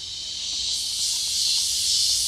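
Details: Cicadas just starting up on the back half of a farm sing a steady, hissing buzz that swells slightly in loudness and holds without a break.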